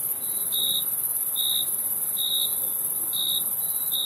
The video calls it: Crickets Chirping Sound